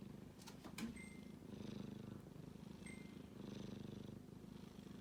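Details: Kitten asleep, giving a steady low rasping snore in slow rising and falling waves, with a couple of short clicks early on and faint high tones in the background.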